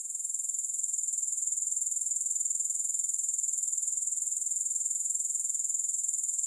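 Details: Continuous shrill grasshopper chirring without music, a dense high-pitched buzz made of fast, even pulses that holds at a steady level throughout.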